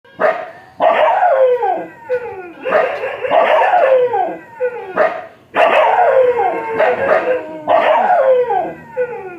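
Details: Dogs bark in loud, rough bursts of three or four barks, each trailing into falling, whining, howl-like tones, with the bursts coming every two to three seconds and brief pauses between them.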